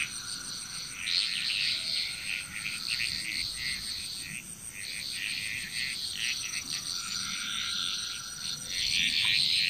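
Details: Frog chorus in Bali, Indonesia: dense, overlapping croaking pulses from many frogs, rapid and irregular, with a steady high insect-like hiss running beneath.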